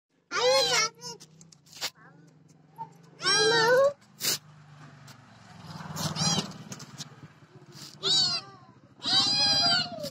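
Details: White cat meowing: several loud, arching harmonic meows spaced irregularly, each about half a second long, with faint low background hum between calls.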